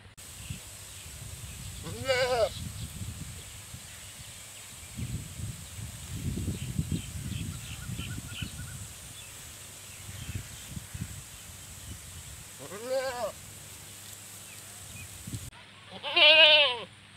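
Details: Goats bleating in a village setting: three quavering, wavering bleats at about two, thirteen and sixteen seconds, the last the loudest and clearest, with low rumbling background noise in between.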